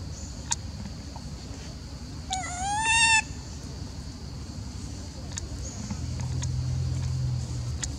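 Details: Elpida, a female macaque, calls as she seems jealous and upset while old female Susie is fed. One tonal, harmonic call of about a second, rising slightly then holding steady, over a low background rumble and scattered faint clicks.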